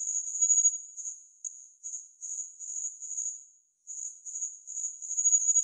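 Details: Homoeoxipha nigripes, a tiny red-bodied cricket about 6 mm long, from Okinawa, Japan: a high, thin, bell-like trill in fast runs broken by short pauses, with a clean, quiet background.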